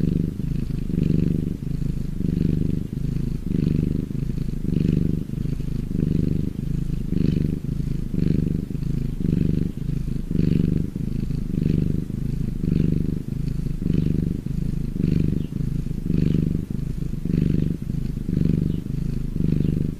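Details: Domestic cat purring contentedly, a long run of deep rapid-pulsed rumbling that swells and dips with each breath, about seventeen regular cycles, close and uninterrupted.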